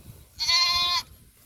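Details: Goat on a small goat farm, where one of the kids of the doe Paula has gone missing: a single steady, nasal, even-pitched bleat lasting about half a second, rich in overtones, over a faint low background rumble.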